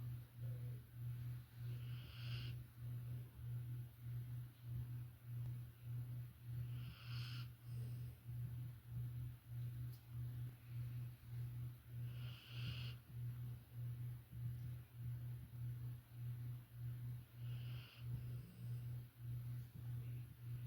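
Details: Violet, a female Labrador Retriever and younger sister of Ember, snoring while asleep: a low, steady rumble that swells and fades in regular breaths, with brief higher hissing bursts every few seconds.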